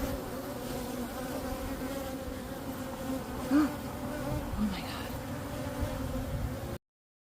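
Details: Many honeybee drones flying out in Florida to seek queens for mating; a constant humming swarm with steady tonal bands, brief louder buzzes as single bees pass near, ending abruptly.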